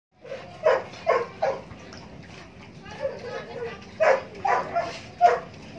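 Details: Belgian Malinois dog during feeding: a series of short, sharp barks with a few whimpering yips, clustered at about one second and again near four to five seconds, over a low steady background hum.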